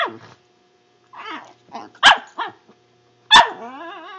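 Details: Pet dog making weird noises: short wavering whines and yelps with bent, quavering pitch, a sharp bark-like yip near the middle and another at the end trailing into a wobbling moan.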